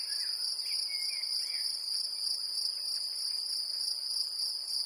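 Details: Great green bush-cricket singing in Brittany, France, a continuous piercing high buzz with a fine, fast flutter, over faint twittering bird notes near the start.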